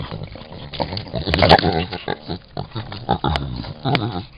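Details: Angry javelina defending their young: rough, low grunting and snorting bursts, repeated irregularly, with short harsh outbursts over a noisy background.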